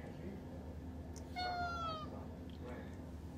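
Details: Tuxedo cat requesting to be let outside: a single clear meow that slides downward, lasting under a second, over a constant low background hum; a person speaks to it nearby.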